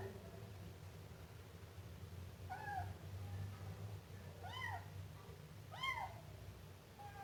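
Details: A Siamese kitten gives four short arching meows after a quiet start, about one to two seconds apart. A constant low droning hum runs underneath.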